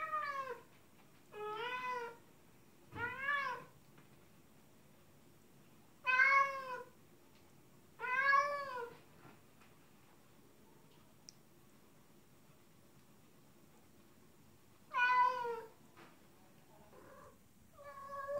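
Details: In-heat female cat calling toward a male outside; clusters of bent, harmonic meows with long silent gaps between bursts, one clipped call trailing at the close, otherwise a quiet room.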